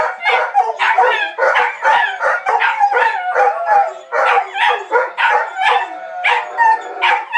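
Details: Four dogs howl together in a quartet, voices layered into a continuous wavering chorus, punctuated by rhythmic yelping bursts roughly every half second.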